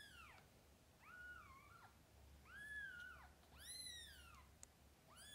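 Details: Cat mewing in a mother-and-kittens setting: a few drawn-out, bending meows, some wavering and flattening, others bowed and bright, with a last call cut short at the end over a quiet low hum.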